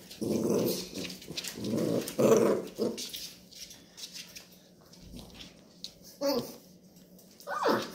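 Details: Indoors, a Labrador Retriever mother growls at her puppies to show there is no milk; three strong low growls early, then quieter rustling and a couple of brief squeaky puppy sounds near the end.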